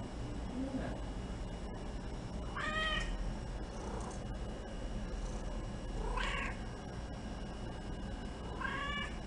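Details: Shy female Domestic Shorthair in a shelter roaming room, up for adoption, said to coo while being petted; three clear meows spaced roughly three seconds apart, each bending upward then down, with a constant low hum behind.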